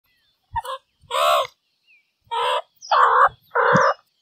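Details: Meerkat calls: five short harmonic, nasal-sounding calls in two-three second bursts, the later ones louder and longer, with brief pauses between them and a quiet background.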